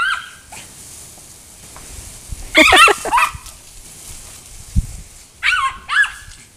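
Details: Coco, a fast pet dog chasing water from a garden hose on a hot day, gives a few high, squeaky yelping cries in bursts, with hose spray and outdoor noise around her.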